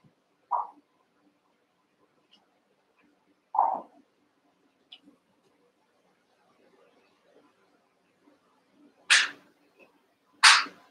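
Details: Cavalier King Charles Spaniel puppies, eight together in an indoor pen, wrestling and playing; two short mid-pitched yelps a few seconds apart, then sharp broadband scuffling thumps near the end.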